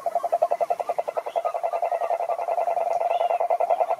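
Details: Quick succession of toad croaks, each a short mid-pitched pulse repeated over three times a second in a continuous run, with faint higher chirps in the background.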